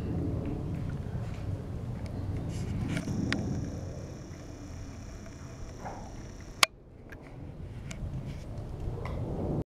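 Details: Low rumbling background noise with a steady high-pitched whine midway and one sharp click, no animal voice heard.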